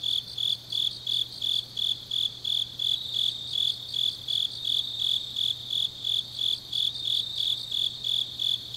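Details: Shrill insect chirping from the grass on an autumn night in Changnyeong, Gyeongnam, steady high pulses about three each second layered with a fainter continuous ringing, low hum beneath.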